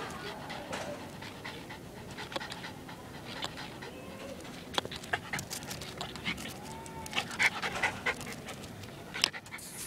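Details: Pet schnauzer Hachi chasing and snapping at bubbles indoors, with rapid, uneven breathy panting and sharp clicking snaps scattered through the stretch, growing busier toward the end.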